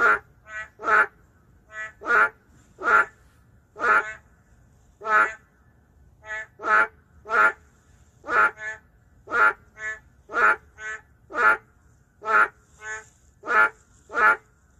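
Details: In the city, endangered boreal digging frogs (narrow-mouth frogs) give loud, nasal, bleating croaks, repeated about once a second with overlapping voices.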